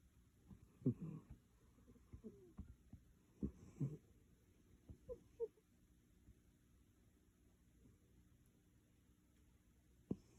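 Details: Maru, a pet cat, sleeping soundly and snoring in a quiet indoor room; soft, low, wheezy breathing snorts come in uneven clusters roughly every three seconds, fading toward silence near the end.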